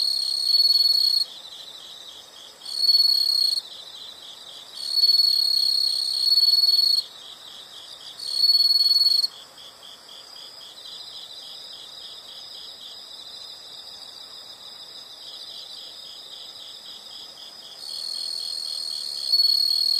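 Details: Insect sounds in nature: loud, very high ringing bursts lasting one to two seconds switch on and off irregularly over a continuous, softer, rapidly pulsing trill, with a long gap between bursts midway.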